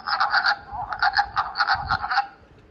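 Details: Spring wood frog with a duck-like voice: a string of harsh, quacking clucks, grouped in quick pairs and triplets, steady for about two seconds before stopping, with faint low rumbling underneath.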